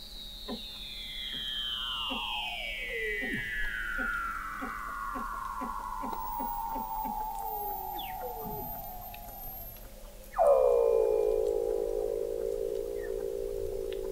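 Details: Weddell seal vocalizations under the sea ice of McMurdo Sound, Antarctica, captured in November 2017 by an observatory 21 m below the ice: long gliding descending whistles over a rapid pulsed ticking, then a sudden loud sweep dropping into a steady buzzing tone.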